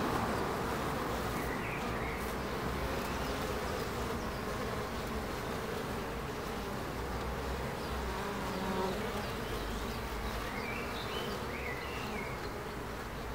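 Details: Bees at Ebersberg: a dense, steady droning hum with a low buzzing band that holds throughout, and a few faint, thin bird chirps rising above it near the start and toward the end.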